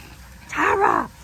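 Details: Australian cattle dog puppy Linc at paddock playtime with big puppies: one loud, harmonic, growling bark of about half a second that dips and rises, over low background noise.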